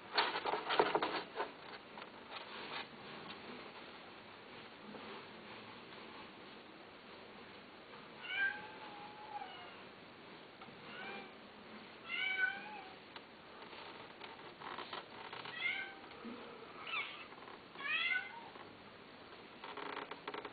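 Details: Domestic cat giving a run of short, rising-and-falling meows from about eight seconds on, spaced roughly a second or two apart, after an opening stretch of clattering handling noise and low background hiss.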